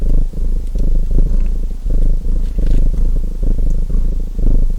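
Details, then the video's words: Domestic cat's rumbling purr, dense and low, pulsing with each inhale and exhale, with light crackling from a fireplace mixed in. "Relaxing Fireplace & Purring Cat Sounds | Feu de Cheminée et Ronronnements"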